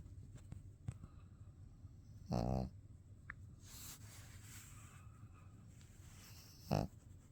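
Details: Sleepy pet dog dozing with open eyes gives a rough, buzzing snore, then a shorter second one about four seconds later. Faint rustling and a brief hiss are between them against quiet indoor hum.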